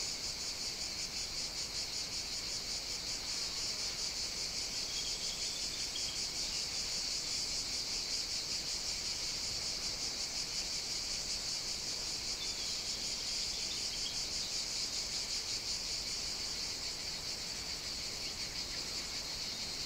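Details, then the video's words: Cicadas on a summer morning at an outdoor café in Sicily. A continuous, dense, high-pitched buzzing holds steady from start to finish, with faint brief bird notes occasionally rising above it. "Caffè outdoor ambience (cicadas, singing birds, distant clinking dishes...)"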